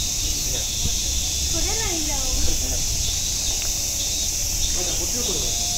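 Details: Cicada song at Nogeyama Zoo: a flat, sustained sizzling buzz running without rhythm or break, accompanied by muffled conversation from visitors.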